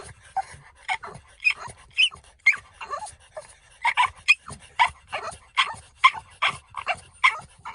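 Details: French Bulldog chattering on a walk, a string of short whimpering yips and squeals at fairly steady spacing, about two per second, with soft breathy noise between calls.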